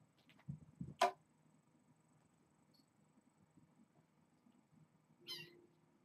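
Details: Pet kittens indoors during evening play time on April 25, with one short, rising kitten meow near the end, preceded by a sharp knock and soft rustling in a quiet room.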